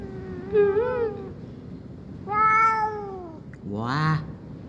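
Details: Cat indoors during heavy rain meowing three times in quick succession: a short mid-pitched mew, a long falling meow, then a harsher rising cry, over a constant low hiss.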